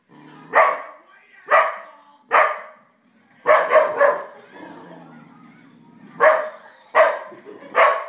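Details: Five-month-old Australian Shepherd Koda barking at Happy Gilmore shown on a big screen at home, filmed with an iPhone; sharp barks in uneven bursts, a quick triple, a lull with television voices, then three more.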